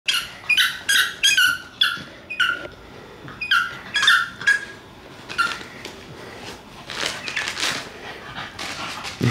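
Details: A puppy trying to coax his sister into play, giving a quick run of high, squeaky yelps and whines, about a dozen sharp bursts in the first five seconds, then quieter breathy scuffling with a soft voice nearby.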